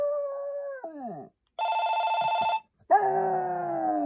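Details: Maltese dog giving sustained, wavering howls that bend downward and fade, broken in the middle by a second of steady pulsed electronic ringing, then a fresh rising-then-level howl resumes.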